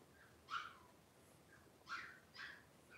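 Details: Three-week-old blenheim Cavalier King Charles Spaniel puppies, a litter of five, at play in a home puppy pen; three thin, high squealing yelps that slide downward, two close together near the end.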